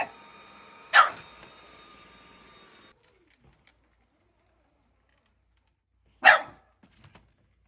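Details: Shiba Inu dog giving two short, sharp barks about five seconds apart, with near silence between them and a faint hum fading early on.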